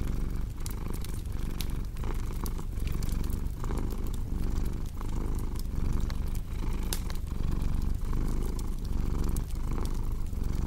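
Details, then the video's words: Cat purr rumbling deep and unbroken, its breath cycles rising and falling roughly every half second, while crisp fireplace crackles and snaps sound throughout. "Purring Cat with Cozy Crackling Fireplace Sound"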